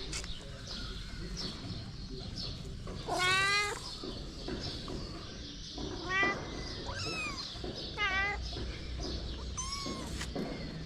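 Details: Feral mother cat and kittens in the street: a handful of thin, high, quavering mews, one clear longer call then shorter downward-sliding ones spaced a second or two apart, set against steady noisy background hiss.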